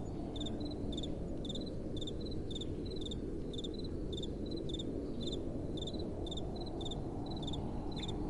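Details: Night-time crickets with a gentle breeze: crisp double-pulsed chirps repeated about twice a second, seemingly from more than one caller, above a steady soft wind hiss.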